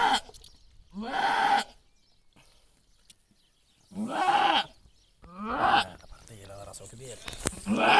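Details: Goats bleating while a female goat gives birth. Four loud, wavering, nasal bleats about half a second each, spaced by short silences, with faint rustling between them.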